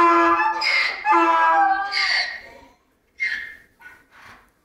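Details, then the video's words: Donkey bray tailing off: two strong harmonic hee-haw pulses, then a gap of silence and a few short, fading wheezy gasps as the call ends. "Donkey Bray"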